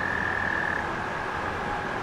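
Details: American toads give a steady, high musical trill beside a river near a spring in the woods, over the rushing hiss of the river.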